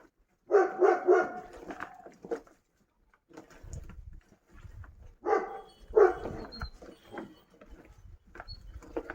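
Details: Kangal dogs kept on a farm bark excitedly as food is brought out, in two clusters of rapid, repeated barks separated by a quieter stretch with low rumbling handling noise.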